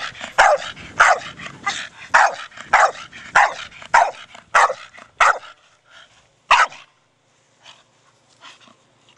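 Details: Brogan, a four-year-old male Staffordshire Bull Terrier playing with his big hard plastic ball, gives sharp barks roughly every half second for about five seconds, then one more bark after a pause, with quiet thumps and rustling after.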